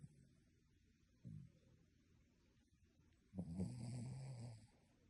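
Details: Dog snoring in its sleep, human-like in tone: a short soft snort, then one longer rough rasping snore lasting over a second, low-pitched and grating.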